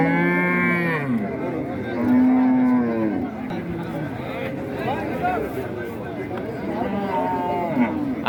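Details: Cattle at a large cattle market in Raniganj, Dinajpur, Bangladesh, in 2025, bellowing in loud harmonic moos, several overlapping calls rising and falling across the clip amid crowd chatter.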